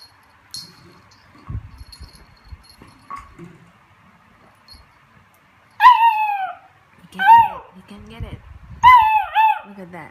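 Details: Cooper, a beagle, playing with his recycled Coke bottle, lets out three drawn-out, ringing bays that slide downward in pitch, spaced about a second and a half apart, with soft thuds and bottle rattles between them.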